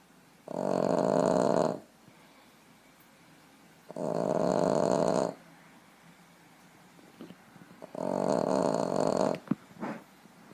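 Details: Boston terrier napping on a lap, snoring in three long, loud, harsh rasping breaths about four seconds apart, each lasting over a second, with quiet pauses and a few small clicks between them.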